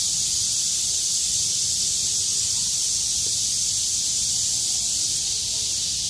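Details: After a downpour ends and the weather clears on 6 August 2020, surviving cicadas sing at full strength. The result is an unbroken, loud, high-pitched shimmering drone with no pauses.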